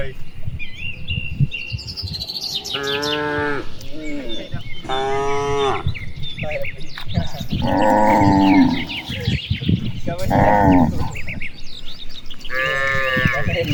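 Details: Grazing cattle among dozens in broad rice fields on an afternoon, calling to each other: five or six long harmonic moos, some deep and some higher, spread through the clip, with chirping birds and light rustle behind.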